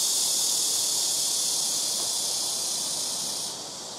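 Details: Black cicadas in trees by a house rooftop, calling in turn from trees in front, left and right: a loud, steady, high hissing drone that holds evenly and drops in volume near the end.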